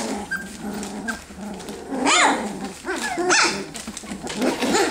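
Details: F1B Standard Goldendoodle puppies, three weeks old, learning to bark while play fighting; a couple of sharp high yaps stand out over continuous low grumbling and squeaky whimpers, with rustling of moving bodies.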